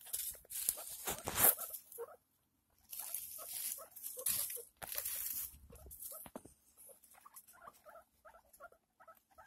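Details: Domestic guinea pig during birth of a six-pup litter: loud rustling and scraping bursts in the first half, then a steady series of brief, evenly spaced soft squeaks toward the end.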